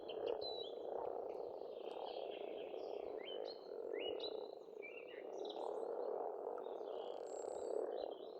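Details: Dense croaking of pond frogs in an Estonian spring, a continuous pulsing drone, overlaid by lively birdsong with many quick, rising and falling whistled phrases.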